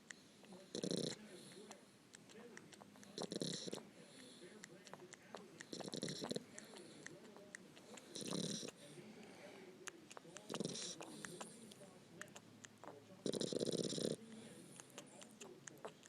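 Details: Sleeping dog snoring with her tongue poking out; rough, breathy snores recur roughly every two and a half seconds, with faint background chatter between breaths.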